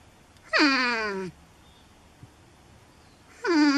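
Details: Porcupine, Erethizon dorsatum, arguing about being moved out of a cozy shed. Two loud wavering moans, the first sliding downward for under a second, a quiet tick in the pause, then a second whine beginning at the end.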